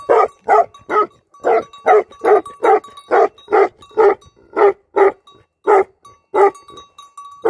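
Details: Shepherd's guardian dog giving repeated loud barks, about two and a half per second with uneven gaps, each bark a short broad burst; a thin steady tone hums between barks.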